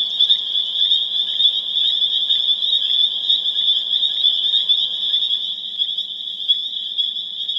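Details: Spring peeper frogs, Pseudacris crucifer, chorusing on April 27, 2011 in Harvard, Massachusetts; shrill overlapping peeps form a loud continuous high whine, a few louder individual calls standing out, easing slightly toward the close.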